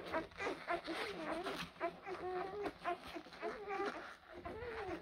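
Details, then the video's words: A litter of blue Great Dane puppies, born April 2023, keeps up a busy chorus of bending, squealing whines and yelps, several pups at once, about three to four cries each second. "Great Dane Blue, Puppies"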